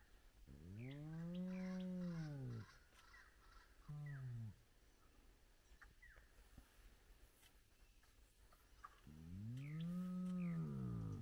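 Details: A large spotted hyena clan back together at its den site with lively cubs, heard in the early morning. Deep arching moans swell and fall. A long one comes first, then a short one, then a lull with faint chirps, then another long moan.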